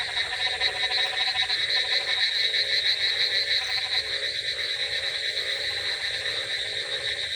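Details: Frogs on a wet, rainy night give fast, rattling croak trains, loudest early on, while a shrill continuous chorus and rain hiss fill the background.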